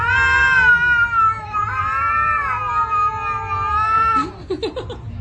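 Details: Fighting house cats yowl in one sustained, harmonic-rich wail lasting about four seconds, bending up and down, then breaking into short, choppy growling bursts at the end; low hum in the background.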